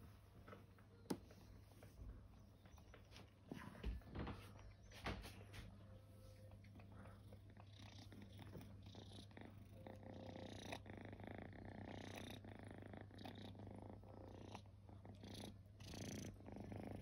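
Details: Resting kittens, once homeless, purring in a low continuous rumble that runs the whole stretch, with soft indoor rustles and a few sharp clicks over it.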